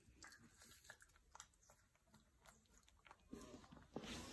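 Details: Blue and light brindle French Bulldog eating watermelon; wet crunching bites and smacking chews come irregularly, roughly 95 per minute, and build into a louder burst of munching near the end.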